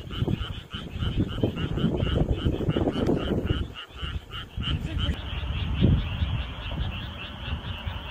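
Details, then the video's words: Frog chorus on a summer night: many rapid pulsed croaks overlapping in a steady, fast rhythm through the whole clip, over a loud low rumble that swells and fades. "여름밤 개구리 울음소리 frog sounds"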